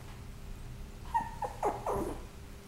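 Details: Maltipoo, a Maltese and Toy Poodle mix, giving a few short, high whining yelps in quick succession over a low background hum.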